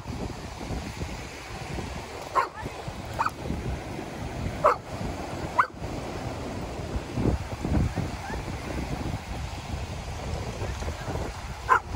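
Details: Dogs at a seaside dog park in Vancouver, Canada, where dogs swim on a hot heatwave day with a cool breeze; a handful of short, sharp barks spaced irregularly across the clip over constant rushing surf and wind.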